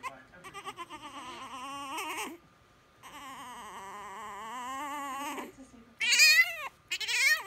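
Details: French Bulldog puppy yelling to be held: long, wavering, strained cries with a rich harmonic stack, two sustained yells of about two seconds each followed by sharper, higher bursts near the end.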